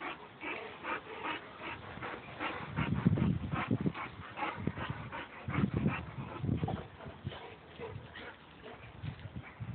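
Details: Boxer and Labrador wrestling in mud; low rumbling growls swell around the middle, mixed with steady rapid panting and splashy scuffling sounds throughout.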